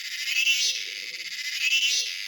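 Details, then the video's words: Cicada, called ചീവീട് in Malayalam, a male singing persistently near a female during courtship; dense continuous buzzing hiss with two swelling pulses of intensity, no other clear sounds. "How Cicada's sound vary once female spotted ചീവീട്"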